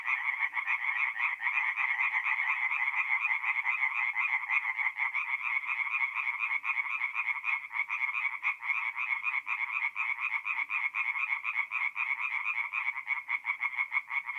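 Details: At a north-east Italian forest pond by night in April, many tree frogs call together, their fast rattling croaks merging into an unbroken, even chorus.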